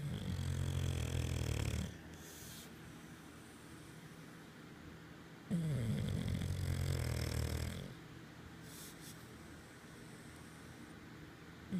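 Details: English Bulldog asleep on its pregnant owner's tummy, snoring indoors: two long rumbling, rattling snores of about two seconds each, low and throaty, separated by quieter breathing pauses; close and loud against the body.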